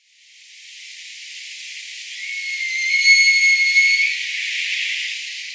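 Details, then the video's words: Bull Roosevelt elk, the herd master, bugling at Elk Meadow near Orick, California, with background noise removed in editing. A high, thin whistled note with faint overtones climbs in and holds steady for about two seconds over a constant breathy hiss. "Roosevelt Elk"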